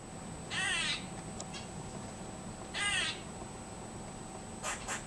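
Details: A squirrel that visits a backyard daily suddenly makes strange noises: two harsh, raspy calls a couple of seconds apart, then a pair of quick chips.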